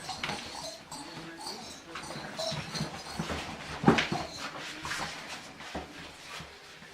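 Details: Chubby English Bulldog puppies playing with a toy give soft whimpers and snuffling grunts amid scuffling and thin squeaky noises.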